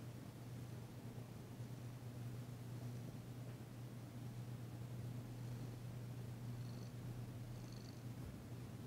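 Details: Female cat Danci purring while being massaged, still tentative after arriving; first purr heard since her arrival. Steady low continuous rumble throughout, with faint high chirps near the end, indoors.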